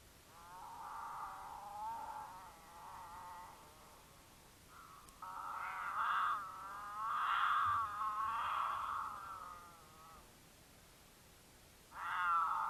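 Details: Two mountain lions in Utah court: the female in heat gives long, wavering, harmonic caterwaul yowls that swell and fade to attract the male, who occasionally returns the call.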